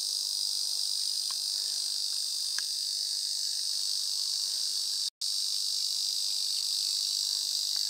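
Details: Ezo cicada droning in a dense, shrill, constant buzz, interrupted only by a split-second dropout near the five-second mark before resuming at the same level.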